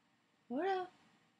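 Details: Alaskan Malamute Koda in bed with its owner, giving a single short rising-then-falling whine-like vocal note, brief and clear against a quiet room.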